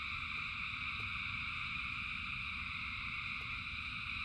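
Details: Steady frog chorus during rain: thousands of frogs singing as one dense layered trill, high and unchanging, with a rumbling bed of falling rain and a few light drip sounds.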